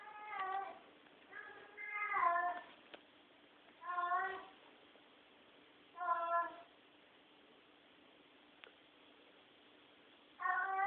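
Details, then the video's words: Domestic cat crying through the night indoors, five loud, drawn-out meows roughly every two seconds, some wavering in pitch, with a faint click and a steady hiss behind them. "I don't know if you can hear that but that's what my roommate's cat sounds like at night all night long"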